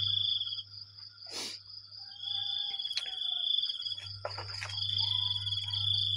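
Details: On a Sunday morning in the rainy season, crickets keep up an unbroken piercing ringing at two steady pitches, while scattered sharp clicks and scraping bursts cut through and a low hum runs below.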